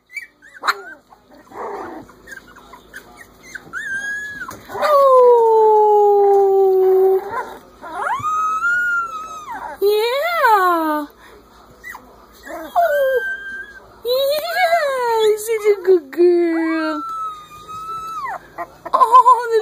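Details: Litter of three-week-old Corgi pups howling in chorus: long drawn falling howls alternate with arched, quavering cries from several puppies, overlapping and pausing briefly, ending in short rising yelps.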